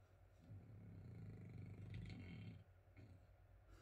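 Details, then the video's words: A sleeping French Bulldog indoors, low rumbling snore with a rough, fluttering texture swelling over about two seconds and then fading. "Working When there's a sleeping frenchie"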